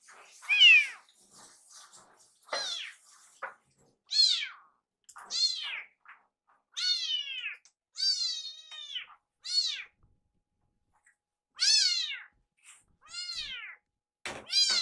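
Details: Iru, a rescued male kitten whose cry sounds like "iru," meows insistently in a kitchen to hurry his caretaker's meal preparation. Roughly ten loud, bright, down-curving meows come in bursts separated by short silences.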